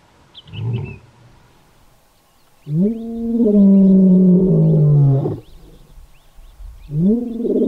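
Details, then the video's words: A lion in the Kgalagadi roaring to claim territory or find its pride: a short low grunt, then a long sustained roar with rich stacked harmonics that slowly falls, and another roar beginning at the end; faint bird chirps behind. "Lion Roaring compilation | Kgalagadi"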